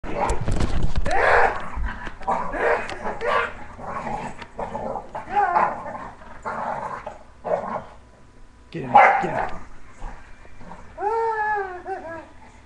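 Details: English Bulldog named Meaty growling and barking in rough bursts while playing with its owner, the owner's voice mixed in; a harmonic whine rises near the end.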